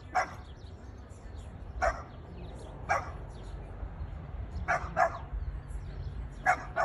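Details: Domestic Boston Terrier reacting to a plastic bag with single sharp barks spaced about one to one and a half seconds apart, a few doubled, against a steady low rumble.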